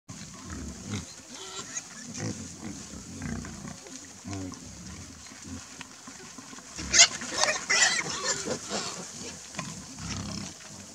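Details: A herd of wild boar interacting near a pond, grunting and snorting in a group, with a sharper squealing burst partway through.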